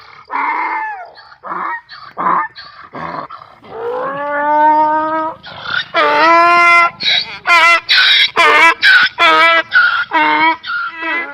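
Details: Donkey braying loudly: drawn-out, strongly tonal, honking calls in the first half give way to a rapid series of short, harsh alternating blasts, roughly two per second, near the end.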